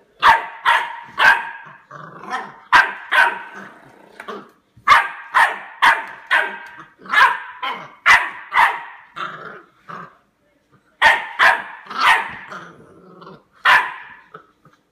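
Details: Labrador Retriever puppy, eight weeks old, attacking a door stop: steady string of sharp, high-pitched yaps, about two per second, with brief gaps and a short growly edge between some barks.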